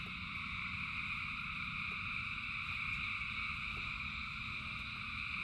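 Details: Rain falls steadily as a huge crowd of frogs sings, producing a continuous high buzzing wall of sound in stacked layers without pauses, backed by a deep rushing rain noise.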